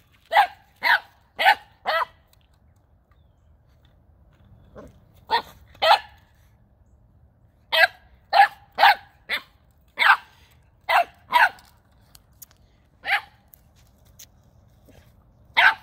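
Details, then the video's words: Nine-week-old Boxer puppy Gizmo barking while playing with a new ball for the first time, December 9th 2021; bursts of quick, sharp barks in clusters of three to four, pauses between runs, a faint growl-like sound midway. "Boxer puppy Gizmo ferociously attacks dangerous object"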